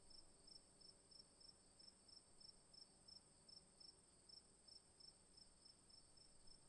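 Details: On an afternoon, a cricket repeats crisp, high-pitched chirps at a quick, even pace of about three per second, over a continuous thin hiss of other insects and a soft low background rumble.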